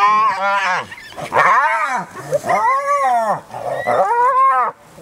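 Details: During an adult spotted hyena's relentless attack on a young clanmate: loud, continuous run of arched, wavering whining squeals in quick succession, rich in harmonics, before the sound cuts to quiet.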